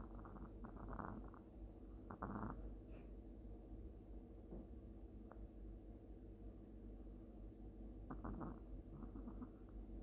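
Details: Long-haired Chihuahua snoring softly in its sleep, short raspy pulsed snores in little clusters near the start and again near the end, with a low steady room hum beneath.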